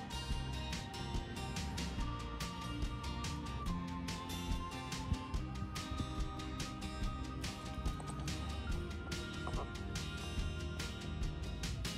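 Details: Dense background music with strong bass and rhythmic percussion fills the whole stretch, with no animal voice standing out.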